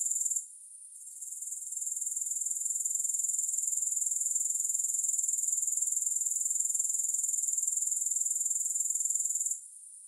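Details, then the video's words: A high-pitched, even chirring of grasshoppers, a fast pulsed buzz at roughly three to four pulses per second. It fades in after a quiet start and cuts off again just before the end. "Grass Hopper Sounds"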